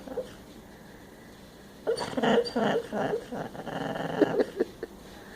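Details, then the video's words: Sleeping female dog Bella, dreaming with her eyes open, snores and snorts in a quiet room: after a calm opening, a run of fast, uneven, throaty pulses lasts about three seconds, then fades into scattered snuffles. "Snoring Dog"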